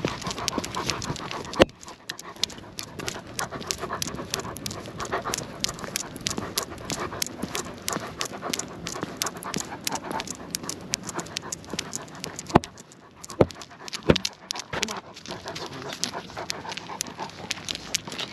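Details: Lucia the Great Pyrenees out walking at night with Timmy the Goldendoodle; fast, airy panting repeats steadily beneath crunching footsteps and occasional louder clicks.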